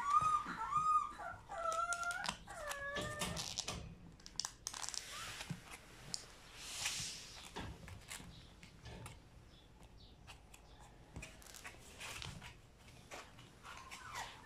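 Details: French Bulldog puppies born April 6 whimper and squeal indoors, high wavering whines rising and falling at the start, then scattered softer whimpers among rustling and handling noises.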